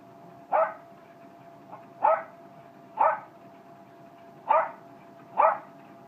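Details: Single male Jack Russell terrier barking five times in about six seconds, each bark short, harsh and clipped, spaced roughly one second apart with one longer gap, against a low constant hum.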